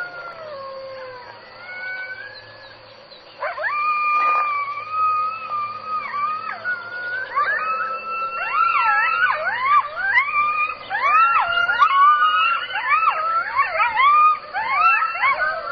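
Jackals howl in a group, long sliding wails breaking into a wavering chorus of yips.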